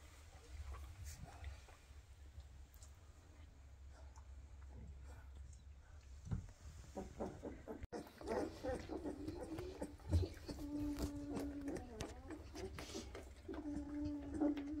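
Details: Weimaraner puppies aged 2.5 weeks, eyes freshly open, hurrying after their mother begging to nurse; soft grunts give way to sustained, wavering whines and squeaky yelps in the second half, repeated in overlapping bursts over a low hum.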